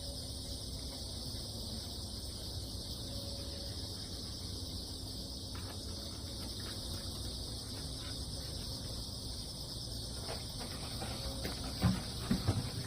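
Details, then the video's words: Crickets calling on damp ground just after a typhoon has passed, with cats walking carefully nearby: a steady, unbroken high-pitched shimmering insect chorus in two bright layers, over a low background rumble, with a few soft clicks near the end. "귀뚜라미, 풀벌레소리"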